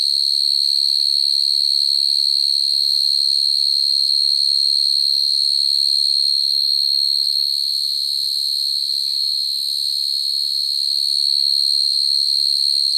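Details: Field cricket at night, singing naturally to attract females, recorded as a trapping lure: an unbroken, shrill, steady trill at a fixed high pitch that swells and fades a little toward the end, over a faint low hum.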